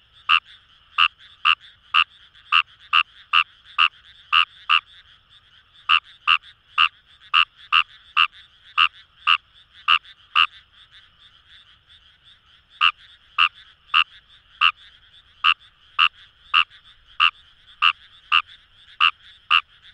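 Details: Wild Kawamura's rice frog calling in paddy fields along the Kamo River, Itoshima, Fukuoka, Japan: loud, short, bright croaks repeated quickly in runs of several seconds with brief pauses, over a faint, steady background chorus of other frogs.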